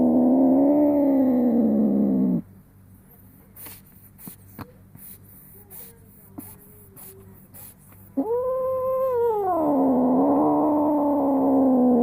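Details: Indoor domestic cat, a female of one year eight months in estrus, moans during gentle wiping of her rear. A low sustained yowl breaks off. Several seconds of faint rustles and clicks follow, then a rising wail that sinks back into a long drone. Smartphone recording.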